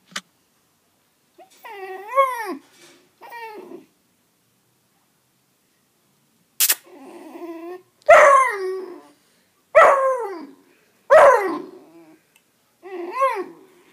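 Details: A 3-month-old Basset Hound puppy lets out drawn-out howling yelps, each rising then sliding down, in uneven bursts with short pauses, in what sounds like a small indoor room.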